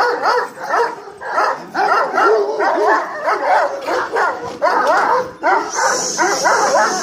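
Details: A female Kangal dog of the Hanlı line gives a rapid run of short, whiny, arching yelps, several per second, rising and falling in pitch with brief pauses between bursts.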